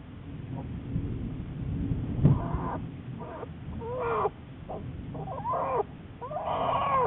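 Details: Recorded March 1, 2014, Juliet, a black bear in a long-term research program: a low rumbling thump early on, then a series of short whining, bent-pitch cries in the second half.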